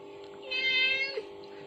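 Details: Domestic kitten responding to a mother cat's calling sound played from a phone; one drawn-out, harmonic-rich meow lasting under a second over a steady low background hum.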